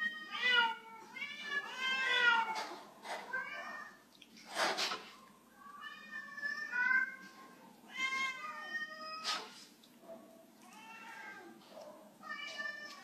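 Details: Domestic cat meowing indoors after struggling to jump from a waxed floor; a series of drawn-out, arching meows, some rising then falling, repeated every second or two, with a brief sharp knock near the middle.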